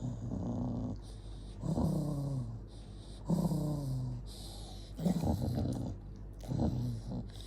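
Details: Jonggi the dog, angry, gives low rumbling growls in several bouts of about a second each, with pauses between them and some faint higher whining tones.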